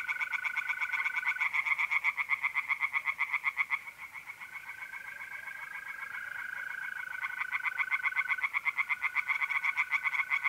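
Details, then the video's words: Pond-dwelling tree frogs at night in mid-April, north-eastern Italy, keep up a dense, rapid train of rasping croaks about four per second, while mole crickets trill in long, smooth, steady tones underneath. "relaxing singing tree frogs in pond"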